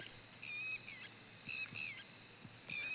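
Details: Crickets chirping at night beside a quiet village pond under faint moonlight, a steady high pulsing trill throughout, with a bird's whistled calls repeating roughly every half second over it.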